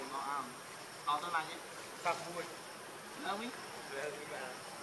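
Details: Monkey named Rainbow, very angry while protecting Lucie from Kachoy: short wavering, harmonic squealing bursts roughly once a second, some rising at the end, over a steady insect-like hiss.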